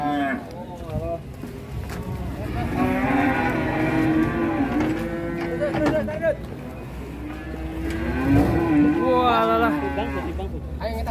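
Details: Raging big cattle coming off a truck in Indonesia gives drawn-out, steady lowing moos in two long bouts. Between the bouts people talk and there is some handling noise.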